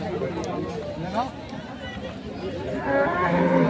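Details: Dairy cows with calves at Ambari cattle market, Parbatipur, Dinajpur, on 17 January 2025. A low, drawn-out moo with stacked harmonics rises over constant crowd chatter and market bustle.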